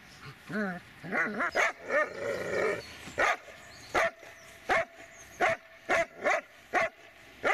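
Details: Dobermann Magmar Von Der Burgstätte giving a few rising, whiny yelps and mixed vocal sounds, then settling into a run of single sharp barks spaced roughly every two-thirds of a second.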